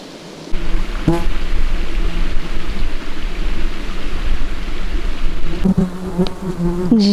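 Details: Many flies and horse flies swarm close by in the swampy borderland of Jämtland and Västerbotten, Sweden, giving a steady low buzzing drone, with a louder buzz passing near and a few brief higher whines.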